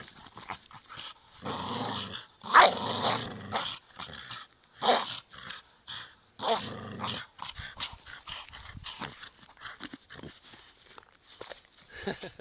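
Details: Staffordshire Bull Terrier giving throaty growls and harsh bark bursts, several drawn-out rumbling phrases of about a second each in the first half, fading to softer scattered sounds.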